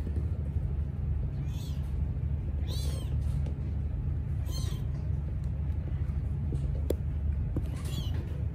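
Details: Sphynx cat birth, mother delivering three kittens with three different coat colours; several short, high, thin arched mews at irregular intervals over a steady low rumbling hum.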